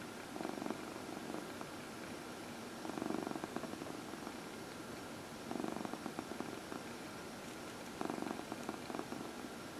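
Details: A massaged domestic cat, one of four including fourteen-year-old Heidi, purrs steadily; four distinct surges of low rumbling arrive about every two and a half seconds, separated by softer stretches.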